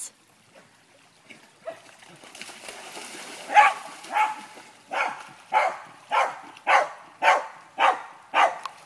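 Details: Young female German Shepherd pup named Uma on her first creek outing, alongside an 18-month-old male German Shepherd and a three-year-old male Lancashire Heeler; sharp barks start softly, then repeat steadily about twice per second.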